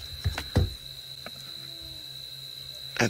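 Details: A constant high-pitched electrical tone runs through the whole recording. A handful of sharp clicks and dull knocks, like handling or tapping, interrupt it, and no animal voice is heard.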